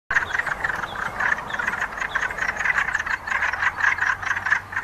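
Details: A dense chorus of wood frogs gathered to mate gives many hoarse, duck-like clucks that overlap in a steady rattling stream.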